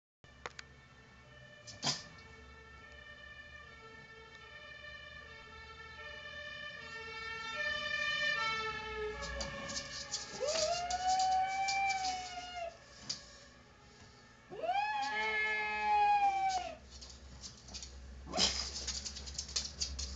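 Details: Nynke, a pet pug, sings along with a passing fire truck's wailing siren. The siren's stepped tones come first, then two long arched howls rise and fall over the siren, with traffic rumble underneath.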